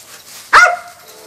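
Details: Belle, a 20-month-old owner-trained Belgian Malinois service dog, during training while fired up and distracted: one loud, sharp bark with a short falling tail, followed by near quiet with a faint steady hum.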